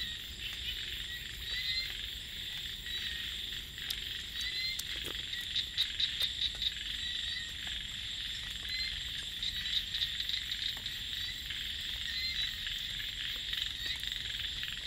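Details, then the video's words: Small frogs calling at night in rice fields: short bursts of rapid, rattling pulsed croaks rise above a steady, high, shimmering insect trill that runs through the whole stretch. "เสียง เขียด จะนา เรไร ยามนอนนา"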